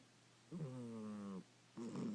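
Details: Sleeping cat snoring: one long, steady, nasal tonal breath of nearly a second, then the start of a second rougher one, over a faint constant low hum.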